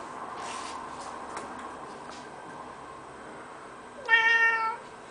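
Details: Pet Birman cat, female, indoors on top of kitchen cupboards on 11 July 2010: after a quiet room with faint rustles, one clear drawn-out meow lasting under a second, slightly rising then level, with rich harmonics.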